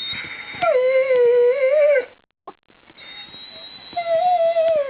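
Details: Rosie, a pet dog wanting to be let outside, whines in long, wavering tonal cries, one drawn out for over a second, a brief break, then another sustained, slightly falling whine indoors.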